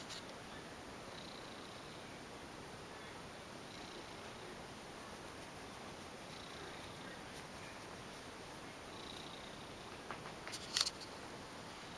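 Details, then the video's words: Continuous quiet purring from Piccolina, a female ex-stray cat and mother of four kittens, tucked beneath bed sheets in a small room; soft rhythmic breathing surges recur every two to three seconds, ending with light rustling and clicks. "Weird creature lives under my bed sheets , making rumbling noises !"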